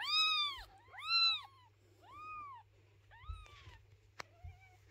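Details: Mother cat moving her kittens, refusing to let their house be cleaned: a run of bowed meows, strong at first and fading to thin, wavering calls, with a few sharp clicks and knocks.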